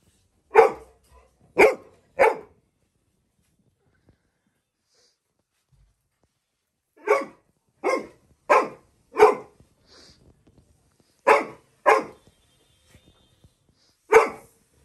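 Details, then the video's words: Little John, a Labrador Retriever puppy, barks loudly at a balloon. He gives ten sharp barks: a quick trio, a run of five, a pair, then one last bark, with quiet gaps between. "Labrador puppy bursts the balloon by his loud barking"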